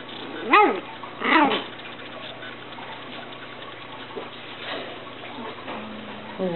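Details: Japanese Chin puppies of the Niko x Pixie litter, 30 November 2013: two high, harmonic whining squeals rise and fall in quick succession early on, then fainter whimpers over a steady low hum and rustling background noise.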